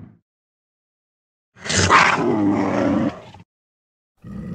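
A cougar gives a single harsh, raspy roar lasting nearly two seconds.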